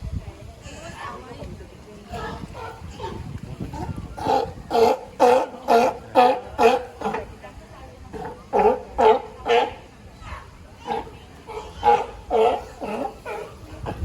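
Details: California sea lion barking loudly and hoarsely in quick runs of several barks, roughly two per second, with short pauses between bursts; faint background voices.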